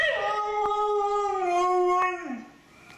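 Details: Siberian Husky "talking" indoors, a sustained tonal howl held steady for about two seconds, then sliding down and fading, rich in clear harmonics.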